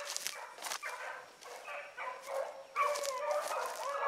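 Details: Young hounds running a rabbit in the morning: scattered yelps and short bays at first, then a louder burst of drawn-out, wavering baying from several pups near the end.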